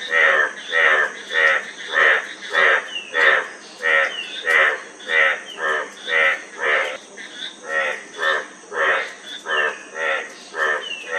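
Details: A run of evenly spaced frog croaks, each a short rasping burst with layered overtones, coming about every half second, with a faint high-pitched hum behind them.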